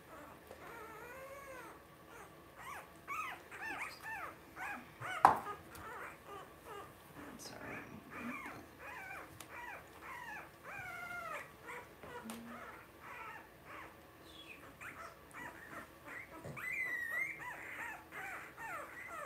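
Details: Several two-week-old blenheim Cavalier King Charles Spaniel puppies in an indoor puppy pen, near their mother, giving rapid high, wavering squeaks and whines in overlapping bursts, with a sharp knock midway and low background hum.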